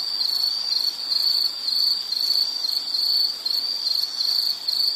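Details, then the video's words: Shrill insect chirping, rapid pulsed bursts of a single high note repeating about twice a second in slightly louder swells, over a quiet noise floor. "Nature Sound of nature sounds scenery L · insect"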